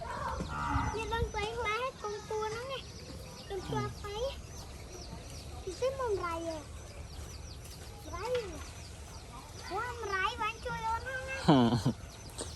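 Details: White calf with a red star-like mark on its head, gentle and playful with its young owner in a simple rural setting; several short wavering moos, some rising then falling, mixed with frequent talking by people nearby.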